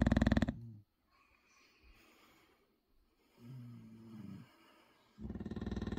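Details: A 6-year-old English Bulldog sleeping in Bodmin on February 23, 2023 snores in loud, rapid, jackhammer-like rattling bursts, almost mechanical. Between them come softer, lower, droning snorts and breaths.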